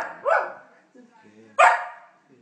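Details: Samoyed puppy wanting affection gives two sharp, loud yelping barks about 1.3 seconds apart, each falling quickly, with a soft low murmur between them.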